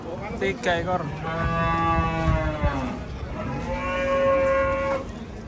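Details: Giant cattle coming down from a truck give two long, deep harmonic moos: the first steady for about two seconds, the second shorter and holding a level tone, over a low outdoor rumble.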